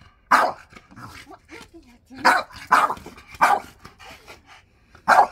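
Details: Indoor French Bulldog disputing his chair with his owner gives five strong, rasping barks spaced about a second apart, with soft grumbling noises in the gaps.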